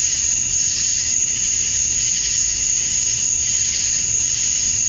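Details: Summer dusk chorus of male cicadas in Georgia, USA, singing to attract females; a continuous shrill buzzing sheet with a sharp sustained top tone and faint rapid pulsing underneath.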